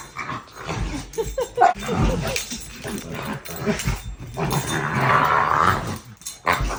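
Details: Male American Bully, described as a gentle giant, making a deep, demonic-sounding growling grumble with rising and falling vocal tones, mixed with a person talking to him and brief background music.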